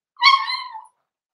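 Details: A Cavalier King Charles Spaniel puppy in a breeder's indoor pen, with adult dogs brought by for socialization. One high, tonal whimper of under a second slides gently downward and then stops, in an otherwise quiet room.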